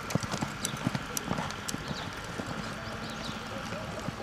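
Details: Quarter Horse in training, its hooves giving a run of clip-clop thuds, quick and uneven in pace, while a woman speaks in Hebrew in the background.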